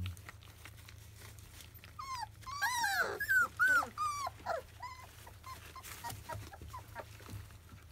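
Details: Field-line Labrador Retriever puppies, 25 days old, indoors at their first weaning meal: a burst of high, whiny whimpers and squeals, many falling or arched tones in quick succession, then tapering into scattered softer whines over a low steady hum.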